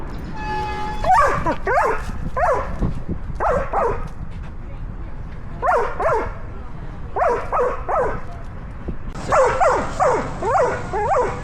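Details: Barking from a female Belgian Malinois wearing a 360 camera during tree climbing and jumps into water: a thin tonal whine opens, then bursts of two or three sharp arched barks recur every second or two, with hissy noise rising near the end.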